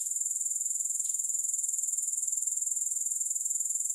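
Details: Grasshoppers chirring nonstop, no music: a thin, shrill, evenly pulsed buzz that holds the same high pitch throughout, with a faint click early on.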